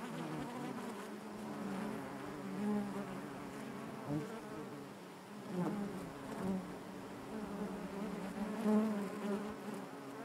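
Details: Honey bees buzzing inside their hive, a dense steady hum with a low fundamental and stacked overtones, swelling and fading gently in loudness over ten seconds, with no other sounds.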